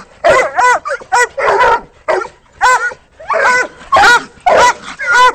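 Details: Several Walker coonhounds baying at a caged raccoon up a tree; rapid loud chopped barks and bawls, roughly two per second, overlapping voices with bending pitch.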